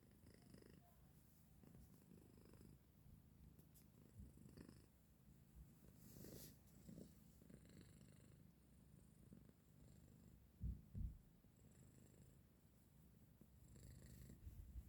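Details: Sleeping male pet cat woken by its owner keeps up a deep, rapidly pulsing purr indoors, low and continuous, with a couple of sharp knocks near eleven seconds and brief rustles.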